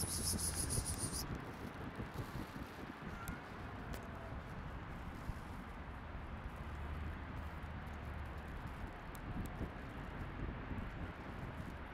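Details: Wind buffets the microphone outdoors, with rustling leaves, a low vehicle hum and a brief high whine at the start, but no animal voices.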